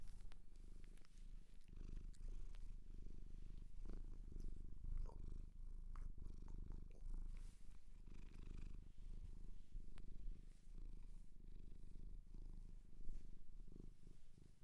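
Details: Close indoor ASMR recording of a Japanese shelter cat purring: an unbroken low throbbing drone rising and falling in loudness across the breaths, with occasional light clicks and rustles.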